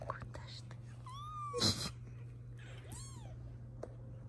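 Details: Young British Shorthair kittens from a litter of five born in April 2024, indoors; a thin rising-then-falling mew near one second and another arched meow near three seconds, with whispering, a clatter and low hum.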